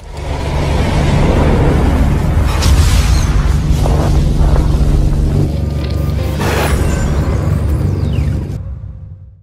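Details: Loud booming music with a deep, continuous rumble fills the whole stretch before cutting out abruptly, with no animal voice.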